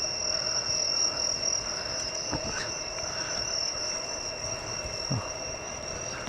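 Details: At dusk and into the night in the countryside of Niigata, Japan, among rice fields and trees, crickets keep up a steady high, shrill trill, with frogs faintly in the background; cicadas are also noted nearby.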